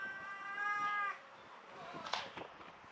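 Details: Restless black-and-brown tortoiseshell cat meowing: one drawn-out, harmonic-rich meow lasting about a second, steady then dropping off, followed by faint rustling and a soft click.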